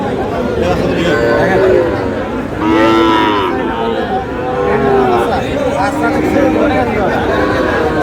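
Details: Sahiwal bull calves being bought and sold at the start of Aftabganj cattle market, Dinajpur, 4 August: a low harmonic moo swells near the middle, with fainter lowing before and after over steady crowd chatter and voices.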